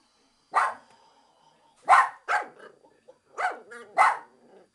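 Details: A Japanese Chin barks at the window cleaner indoors: sharp, high yapping barks, single and in quick pairs with a short growly tail, spaced about a second or two apart over quiet background.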